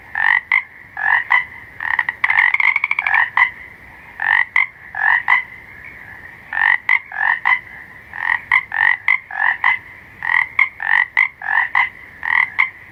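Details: Night chorus of frogs giving short, harsh, nasal croaks in quick runs, sometimes doubled, with a fast rattling trill early on; calls overlap steadily with brief pauses, nothing else audible.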